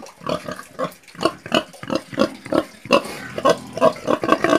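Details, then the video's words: A pig making short nasal grunts about three each second, uneven in spacing, some rising into squeakier snorting oinks toward the end. "PIG SOUND - PIGS"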